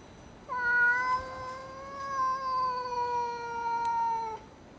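A basenji gives a long, steady, tonal howl that holds its pitch for about four seconds.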